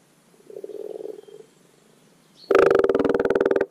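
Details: Common frog in spring at a garden wildlife pond, giving its spawning call; a soft low purring croak, then after a pause a loud rapid pulsed rattling croak lasting over a second.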